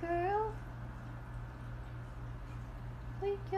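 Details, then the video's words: Cats meowing indoors: a short, rising meow opens, followed by a quiet stretch with a steady low hum, then a brief second meow near the end, while a person talks softly to the cat. "Meowing cats"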